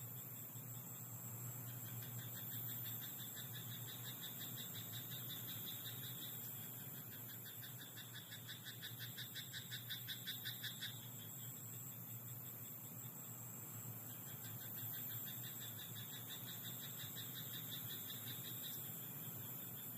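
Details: Frogs croaking in a rice paddy at night: rapid pulsed rattling croaks build into a dense burst in the middle, then fade and return as a chorus, over a steady low hum and high insect-like drone.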